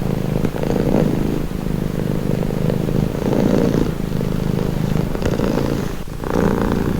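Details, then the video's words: Close-up purring of a pet cat, a low vibrating drone rising and falling with each breath roughly every second and a half, with a brief soft rustle near the end. "Purring cat | Calming Relaxing Nature Sound"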